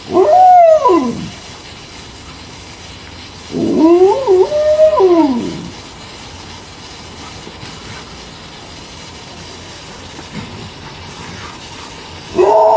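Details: Malamute howling in a garden on a hot summer day while a homemade hose sprinkler keeps two dogs, Lila and Rumo, cool; wavering, yodel-like howls bend up then down, one long pair in the middle, with faint hiss behind.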